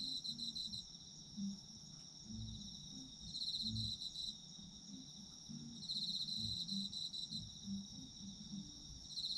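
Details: Chorus of autumn insects, high continuous trills with a pulsing upper voice that drops out and returns every few seconds, accompanied by scattered low thuds and soft background noise.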